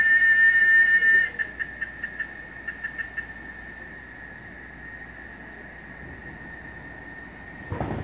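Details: A cicada in a Brazilian forest, calling at dawn or dusk, starts with a shrill, ear-piercing whistle-like whine, stutters into rapid pulses, eases into a thin sustained tone, with a brief rustling burst at the end.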